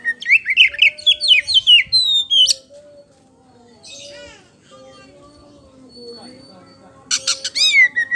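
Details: Kacer poci (Oriental magpie-robin) singing a lure song: a fast run of sharp rising and falling whistled notes, a quiet pause with soft scratchy sounds, then a brief loud burst of clicks and a descending whistle.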